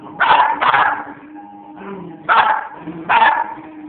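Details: West Highland White Terrier barking indoors at moose scenes in a movie: sharp, loud barks, two quick ones close together, a pause with soft background sound, then two more single barks about a second apart.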